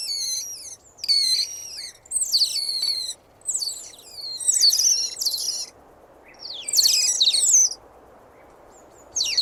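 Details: Otter sounds from a real recording: bursts of shrill, wavering whistles and squeaks, each lasting about a second, separated by short quiet pauses with a soft background hiss.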